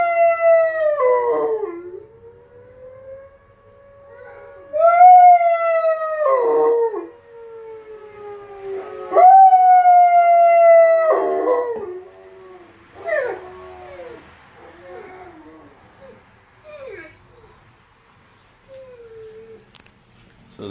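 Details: Ulu, a 15-month-old Lycan Shepherd, howling along with the monthly tornado siren test; German Shepherd Lobo and Blue Bay Shepherd Kurgan join in the background. Long, loud, harmonic howls fall in pitch around 0, 5 and 9 seconds, then shorter, fainter falling howls, over a steady siren tone.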